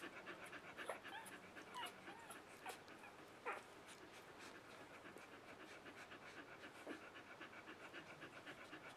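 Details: Three-day-old puppies from a Mattie and Bodie litter, faint high squeaks and whimpers scattered over soft, steady panting and rustling, with a few sharper cries standing out near the start.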